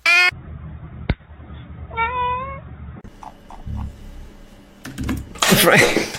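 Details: Domestic cat indoors giving a short wavering meow with falling pitch, preceded by a brief higher cry, while a person scolds the cat for jumping on a sweater; a loud rustle and thump close the moment.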